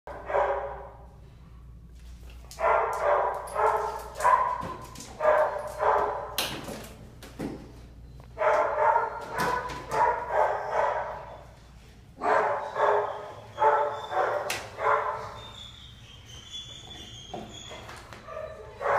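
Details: A Black and Tan Coonhound at a shelter, available for adoption, recorded June 2015; bursts of deep, resonant barks in quick clusters of three to five, separated by short pauses.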